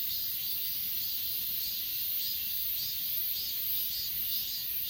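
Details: Grass insects at Achasan, a mountain, recorded on a Samsung S20 Ultra phone: a dense high chorus with soft pulses, roughly two per second, over a steady hiss-like ringing and no other clear sounds.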